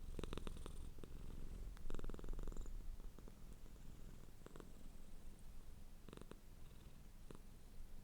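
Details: Soft, low cat purr, stronger early then fading, with a few scattered crackles and a faint high whine near the start.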